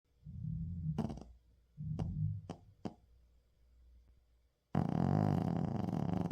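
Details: Shih Tzu named Uijung snoring loudly through a daytime nap, filmed 31 October 2024. Two low, rumbling snore breaths roughly a second apart, followed by a few sharp clicks, then loud broad rustling noise to the end.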